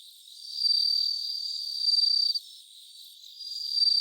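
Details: Bell cricket singing near 3 a.m. on 3 September 2023, recorded live: one long bright ringing trill of nearly two seconds cuts off abruptly, a brief lull follows, then the high chiming trill resumes.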